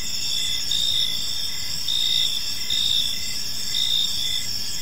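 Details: Crickets chirping in a park as evening unfolds; a steady high trilling band with pulsed chirps repeating about once a second, over a low background rumble.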